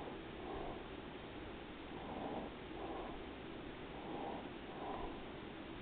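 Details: Daisy the cat purring as she rests, gentle rhythmic rumble with breathy swells every second or so, low and even in a quiet indoor setting.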